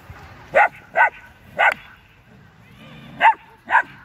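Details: Sharp, resonant barks in two short bursts from a Belgian Malinois in Culiacán, Sinaloa, Mexico.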